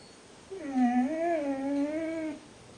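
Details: Rogue, a pet dog left in the kennel, complaining about being left behind: a single drawn-out tonal whine lasting about two seconds, wavering gently up and down with a clear stack of harmonics, in a quiet indoor setting.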